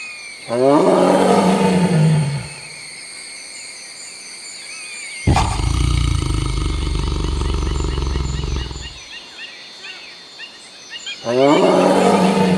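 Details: Tiger (Panthera tigris), roar.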